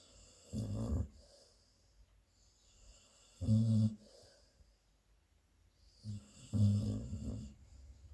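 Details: A sleeping adult female Labrador Retriever, a mother, snores while dreaming in deep, rumbling breaths: three low, rattling rasps about three seconds apart.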